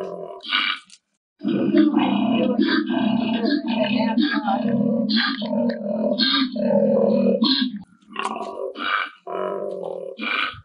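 A koala gives a long, deep, rasping bellow of rhythmic snorting grunts, after a brief spoken introduction.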